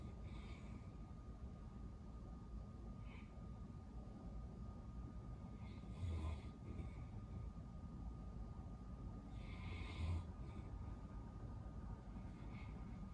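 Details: Al, a sleeping Great Pyrenees whose breathing sometimes seems to stop, raising worry about possible sleep apnea. Two breathy, rasping snore exhalations stand out about four seconds apart over a constant low indoor rumble.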